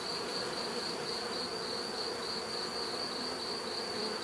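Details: Short stretch of natural bee buzzing: constant dense hum with a rapidly pulsing high-pitched whine over low droning tones.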